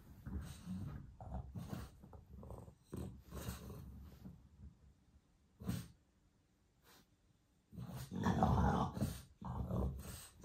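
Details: A French bulldog just after waking up makes low, throaty grunting growls in quick uneven bursts. A quiet pause comes mid-way, then a louder run of rough, rumbling grumbles.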